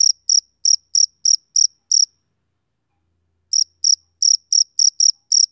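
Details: Male cricket chirping: a run of seven sharp, high-pitched chirps, a silent pause of about a second and a half, then eight more evenly paced chirps. No other sounds.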